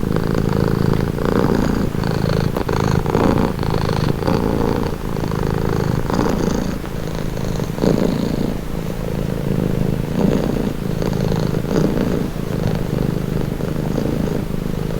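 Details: Domestic cat purring steadily, offered as a calming, relaxing sound; a low continuous rumble pulsing with the cat's breaths, swelling on each inhale and exhale roughly every one to two seconds, with no other sounds.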